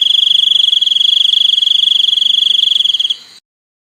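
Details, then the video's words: High, ringing cricket chirring, rapidly pulsed and level in pitch, continues for about three seconds, then fades and cuts off into silence. "សំឡេងសត្វចង្រិត ។ Crickets sound"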